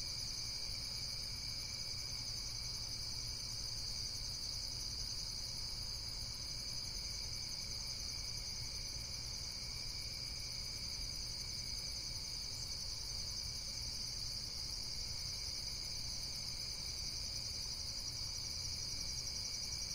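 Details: A continuous high, shimmering insect chorus made of fast, even pulses layered in several bands, unbroken from start to finish over a quiet low background hum.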